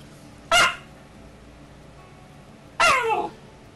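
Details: Ten-week-old Alaskan Malamute puppy in Calgary, Canada, during rough play in May 2012, giving two separate harsh, falling bark-growls about two seconds apart, the second one longer and more drawn out.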